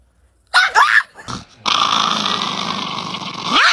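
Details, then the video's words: An angry Chihuahua named Niki gives two quick sharp yaps, then settles into a long, steady, rasping snarl that swells again at the end. "The most Angry Chihuahua in the world"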